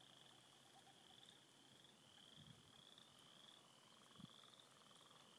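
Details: Many frogs at a beaver pond in spring form a distant, steady high trilling chorus that pulses in waves, with a faint lower murmur and soft water or handling thumps.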